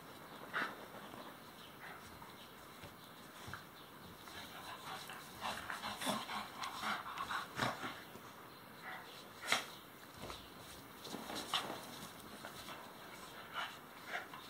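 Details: Two Welsh Terriers, Max and Moritz, having fun during morning play indoors; scattered short, soft dog vocalizations and snorts come in bursts amid rustling, thumps and faint speech.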